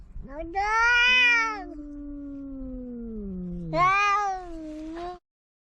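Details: Household cats in a quarrel: a strained, high yowl opens, sliding into a long low growling moan that slowly drops, before another loud bright wail bursts in near four seconds and fades.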